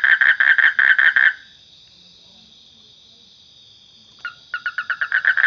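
A frog gives quick, evenly spaced croaking notes in fast bursts over a steady high insect hum.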